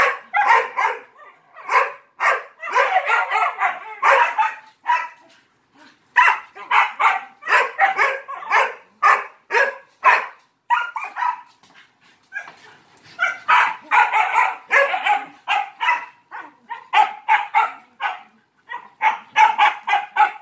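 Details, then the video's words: Playing alongside three Malinois, a dog barks for attention in long rapid volleys, barks packed closely together with short breaks around five and twelve seconds. "He bark too much for attention!"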